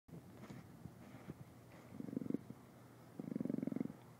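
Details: A captive Amur leopard (Panthera pardus orientalis) purrs in low, rapid, throbbing bursts, each lasting under a second.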